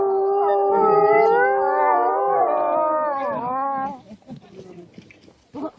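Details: Wolves howling at Asahiyama Zoo during a winter night opening: several overlapping long, smooth howls glide slowly up and down together for about four seconds, then fade into faint background noise.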